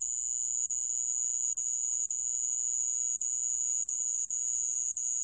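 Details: Sand cricket recorded by Korea's National Institute of Biological Resources in 2020: a steady, very high-pitched metallic trill, nearly unbroken, with only a few brief gaps over five seconds; no other sounds.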